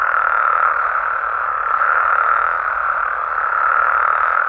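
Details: Frogs and toads calling together through a Mexican night, a thick, even trilling drone with rapid pulses and no pauses.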